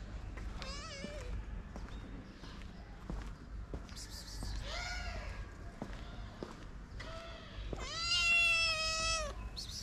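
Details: Two shy but hungry abandoned sister kittens in Morocco: soft short mews scattered across the recording, building to one loud, long, strained meow near the end, with light tapping sounds between calls.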